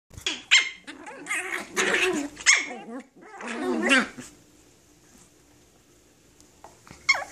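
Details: Tiny toy poodles fighting: harsh snarling growls and sharp high yaps in dense bursts over the first four seconds, then near quiet with faint rustling before one last short yap at the end.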